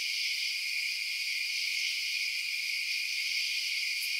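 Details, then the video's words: Crickets chirping at night form a dense, unbroken high-pitched shimmer that holds steady in several bright bands, with no distinct pulses and no other clear sounds. "Night Sounds Crickets Chirping"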